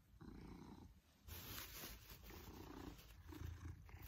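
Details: Maine Coon named Pippin purring happily during an affectionate cuddle, his purr growing louder; deep rhythmic rumbling in repeated breaths, overlaid by rustling and close handling noise.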